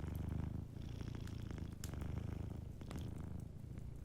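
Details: Sleeping cat by a fireplace purring in a deep, throbbing rumble, short breath pauses near 0.7 and 2.8 seconds, faint fire crackles scattered through.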